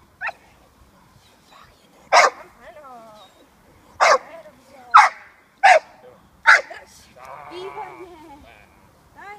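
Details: Six-month-old female American Staffordshire Terrier puppy during protection training with her handler, giving sharp single barks roughly once a second or two, with a handler's voice speaking Czech between and after the barks.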